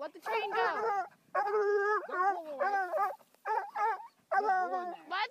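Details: Young Bluetick hound, five months old, confronting a raccoon released unharmed afterwards; wavering, whining howls and yelping bawls in repeated bursts, pitch bending up and down, with a faint voice in the background.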